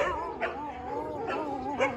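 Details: At a large kennel housing Dobermanns, a long, wavering, tonal whine rises and falls steadily, broken by a few short barks.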